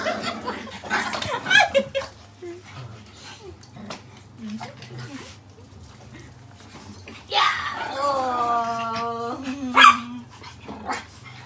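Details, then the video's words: Pet Pomeranian and Poodle indoors in a small room, asking their people for hugs: scattered short yips, then a long, steady, drawn-out whining howl that bends down at the end, over people talking. "When Pomeranian and Poodle wants our hugs"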